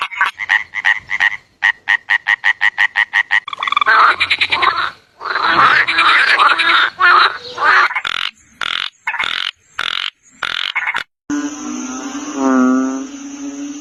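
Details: Frog croaks: a fast, regular train of short clicking pulses, then a dense, noisy chorus of rasping croaks, and separate loud bursts; near the end a lower, harmonic, drawn-out note rises and falls.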